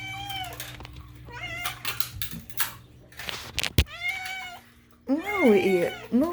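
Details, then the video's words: House cat Moo going nuts with meows indoors: several short falling meows, a sharp click, then a loud wavering, yowling meow near the end, with a person talking and a low hum. "is all this unhinged meowing truly necessary?"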